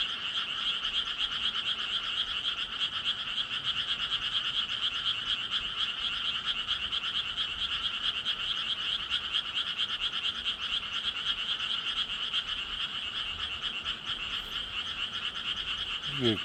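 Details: Continuous frog chorus of fast raspy croaks, steady and unbroken throughout, roughly two pulses per second, a high bright band over a fainter lower one; a brief rising squeak near the end.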